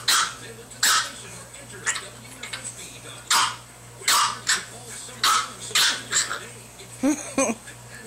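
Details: Boston terrier puppy playing with a pug puppy, barking in a quick run of about a dozen sharp, high yips, some doubled and some hoarse, over a steady hum and background talking.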